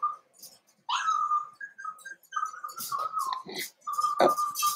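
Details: Cavalier King Charles Spaniel puppies in a home puppy pen, meeting several of the household's older dogs during socialization: thin, high whines and whimpers, some sliding briefly, repeated in short bursts with soft clinks and rustles between.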